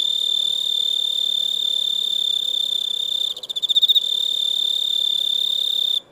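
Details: Cricket chirping: a steady, high-pitched ringing trill held for about six seconds, briefly breaking into pulsing, wavering notes near the middle before carrying on and stopping abruptly.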